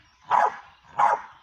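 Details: Kitty, a pit bull described as a fighter being readied for the ring, gives two loud, sharp barks about two-thirds of a second apart, each a short burst with no other sounds around them.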